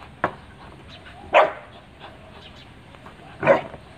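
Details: Pit Bull Terrier barking: three separate sharp, loud barks, the second and third about two seconds apart, over a low steady background hum with no other clear sounds.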